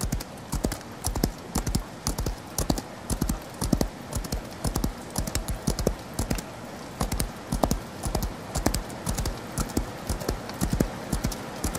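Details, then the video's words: Horse galloping in the rain: sharp, clip-clopping hoofbeats in uneven bursts, about two a second, over a steady background hiss. "Horse Galloping In The Rain"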